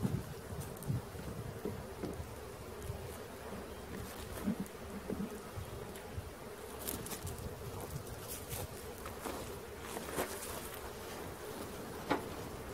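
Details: Honey bee swarm being caught in Christiana, Tennessee: a dense, steady low buzz from many bees fills the recording, with scattered clicks and rustling knocks from the handling.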